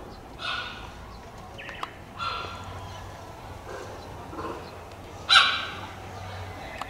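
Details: Captive cheetah, believed to be Dura's cub, at Tama Zoological Park in Japan: three separate clear, ringing chirps spaced a couple of seconds apart, the last loudest, over low ambient hum.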